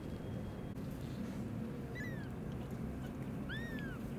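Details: Newborn rescued kittens crying, found in the evening inside an old warehouse with a blocked door; two high, arching mews about 1.5 seconds apart over steady low rumbling background noise.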